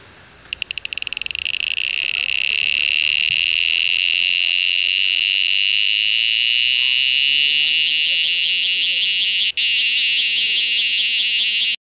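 Cicadas fill the air with a loud, continuous high-pitched buzzing drone.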